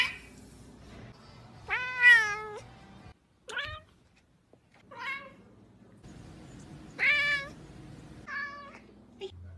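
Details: Domestic cat giving a run of about six meows, the longer ones drawn out, rising then falling, the others short; clear harmonic tones separated by brief pauses over a low background hum.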